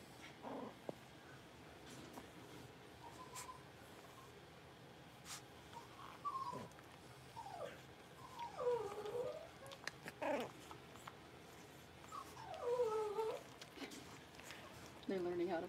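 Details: Five blenheim Cavalier King Charles Spaniel puppies, born around New Year's, give thin, wavering whines and little howls, with a few sharp yips.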